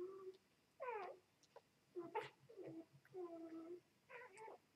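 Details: Two-day-old Vizsla x Labrador puppies, mother a Vizsla and father a Labrador, giving short squeaky whimpers and mewing cries in separate bursts, some rising then falling, with quiet gaps between.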